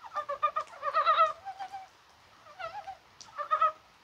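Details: Rainy, springlike 21 January with mountain brown frogs calling: short rapid clucks open the clip, then a longer throaty run of pulses, a pause, and two further brief clucking bursts, with several callers overlapping.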